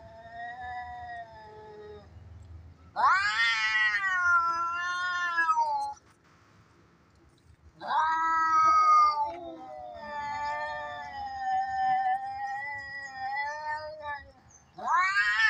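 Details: Fighting domestic cats, sounds used to tease cats at home; long, loud, wavering yowls in bursts of several seconds, separated by short quiet gaps, harmonics stacked and sliding up and down.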